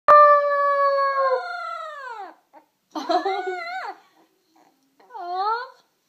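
A puppy howls in three short bursts, each a harmonic, wavering note that slides downward.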